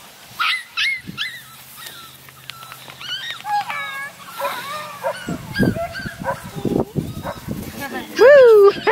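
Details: Tiny female Redbone Coonhound puppy awaiting adoption gives high, bending whines and short yelps in quick bursts, ending in a loud drawn-out whine that rises then falls; a steady low hum runs through the first half, with scattered knocks and rustles.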